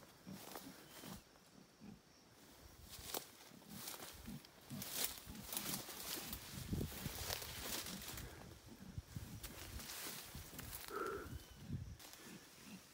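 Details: Howler monkeys in the Paraguayan jungle give deep, rough roaring grunts in uneven bursts against a crackling, rustling background.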